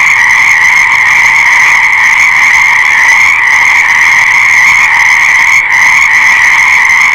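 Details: Frogs calling together in a dense, unbroken chorus: a steady high trilling hum that holds at the same pitch throughout, with overlapping voices blending into one continuous wall of sound and no other noises standing out.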